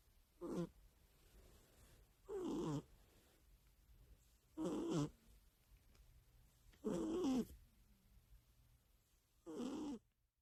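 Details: Sleeping pet cat snoring steadily beside its owner every night: five rough, buzzy, harmonic snores repeating about every two to two and a half seconds, each lasting roughly half a second, with near silence between.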